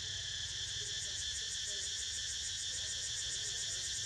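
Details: Steady cicada buzzing with a fast, faint pulsing shimmer while Niko sleeps; the high drone stays even from start to finish, with a soft low rumble beneath.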